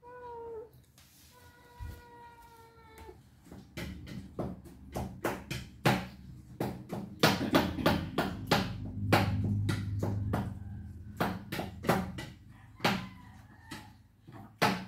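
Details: Housecats fighting while they wait for breakfast: a short meow, then a longer steady whining meow, followed by a long run of rapid clicks, taps and knocks from the room.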